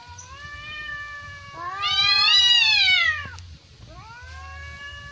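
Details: Persian cat and village cat fighting in a garden; long drawn-out yowls, a steady wail rising into a loud, high, strained scream for about a second, then falling and resuming lower.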